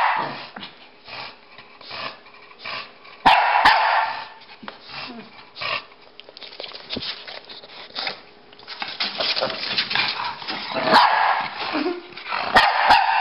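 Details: Rocky and Bully, a Pekingese and a Bulldog, playing chase indoors: scattered loud barks and yips with rough growly bursts around the third and eleventh seconds, over scuffling and rustling between them.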